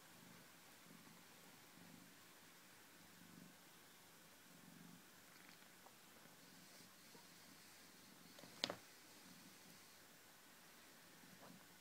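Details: Domestic cat on a couch, having fun; a soft, steady low purr runs throughout in rhythmic pulses, with a single sharp click near the end and faint room hiss.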